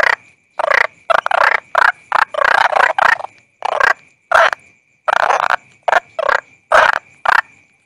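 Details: Toad calling in a quick, crowded run of harsh, rasping croaks, about fifteen bursts in eight seconds, some nearly merging, over a faint steady high whine.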